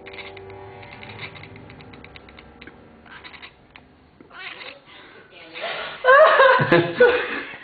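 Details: A female bi-colour Oriental Shorthair cat gives loud, wavering, nasal yowls while playing, with quieter sounds and voices earlier.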